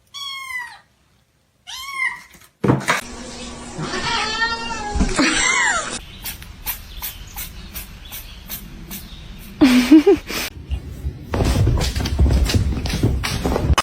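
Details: Domestic cat: two short, bright rising-falling meows in the opening two seconds, followed by a jumble of bumps, clatter, brief voices and further cries indoors.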